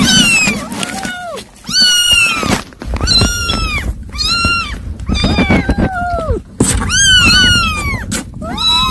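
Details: Kittens eating weaning food mew constantly in high, piercing, overlapping cries. Each mew arches up and then falls. The calls come in quick bursts with only brief pauses.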